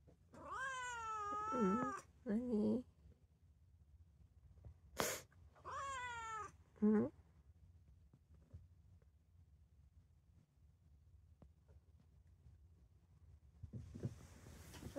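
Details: ['Calico cat, three years old, indoors, gradually getting used to people after being standoffish; several clear harmonic meows in the first seven seconds, some drawn out and some short, with a sharp click and rustling afterwards.']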